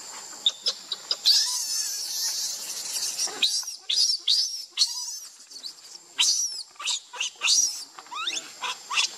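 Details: Baby monkey Lucie crying while angry with her mother Luna: a run of shrill, high-pitched squeals and chirping cries in quick uneven bursts, some rising and falling sharply, over a faint steady high hum.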